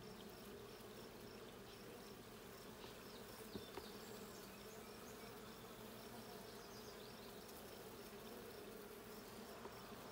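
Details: A dense, even drone from bees inside a blue hive at a hive check, June 20, 2022, holding steady throughout with a faint hiss above and one soft tap midway.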